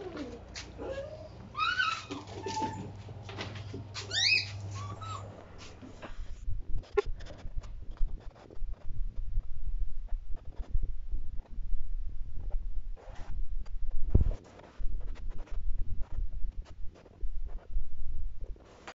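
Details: German Shepherd puppies playing with their father give high, wavering whines and yelps, followed by thumps and scuffling.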